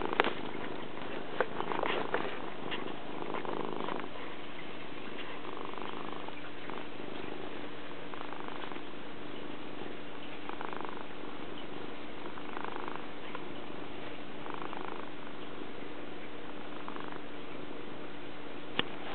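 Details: Pet cat purring up close: a steady, low, throbbing rumble pulsing in regular breath cycles about every two seconds, with light handling noise near the start.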